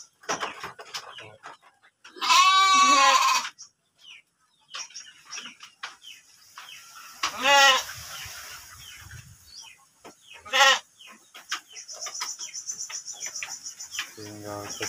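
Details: Breeding-stock sheep kept in a pen at Kampung Tanjungjaya, Desa Tanjung, Cipunagara, Subang: three loud, quavering bleats with a wavering tremolo, the last one short, separated by quieter stretches of faint high calls and pen noise.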